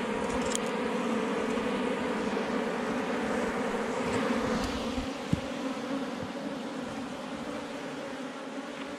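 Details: Many honey bees droning around a forest hive tucked beneath rocks while honey is being collected. The continuous, even buzz holds a low pitch with a clear upper band throughout. Faint clicks are heard near the middle.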